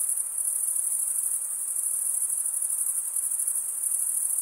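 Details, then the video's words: Crickets chirping by stridulation, mainly males: one sustained, high, metallic trill with dense quick pulses and gentle swells, background otherwise quiet. "Most relaxing cricket sound"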